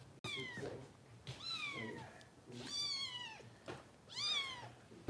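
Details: Bottle-fed foster kitten Harper, cared for by Kitten Rescue volunteers in Los Angeles, crying indoors: four or five clear descending meows spaced about a second apart, opened by a sharp click.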